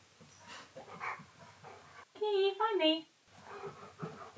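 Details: Keyush, a pet dog, confused while searching for his owner's recorded voice played from inside a giant teddy bear in another room; a loud, harmonic, falling whine lasting about a second, framed by soft panting and sniffing indoors.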